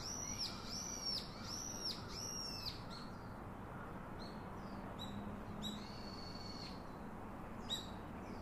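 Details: Infant monkey crying out for its father's comfort: four loud arching, squealing whines in the first three seconds, then scattered shorter high cries and one drawn-out flat whine, over low constant background noise.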